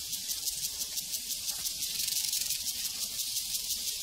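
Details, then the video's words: Crickets on a prairie: a dense, hissing high-pitched chorus with soft pulses beating about three times per second, steady throughout, with no other clear sounds. "Sounds from a Prairie Crickets and Cowbells"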